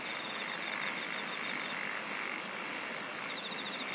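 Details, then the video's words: Insect song as continuous fine pulsed trills at high pitch, briefly fading and returning, over a constant hissing background. "SINGING OF INSECTS"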